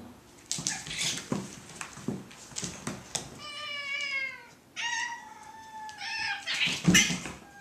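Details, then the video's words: Domestic cats in a fight, wrestling and punching indoors: opening scuffles and thumps, then long harmonic caterwauling yowls, steady then wavering, ending in a loud scuffle. "Cat Fight"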